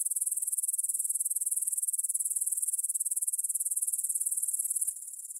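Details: Stridulating grasshoppers at 9pm on 6 September 2020 in a field by the Svensky monastery, Bryansk, Russia, captured in stereo with a Tascam DR-44WL; very high, rapid pulsing buzz, steady before softening suddenly in the final half-second.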